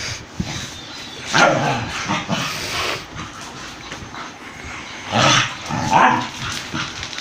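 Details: An Indian breed dog attacking a German Shepherd, with loud rough barks and snarls in two clusters. The first comes just after one second and the second around five to six seconds, with a quieter noisy stretch between.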